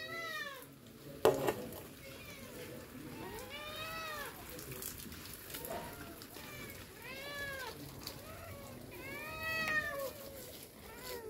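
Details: Several pet cats eager for their egg treats meow repeatedly, with clear arched, tonal meows about every two seconds, some overlapping, over a background of household clatter and a sharp knock early on.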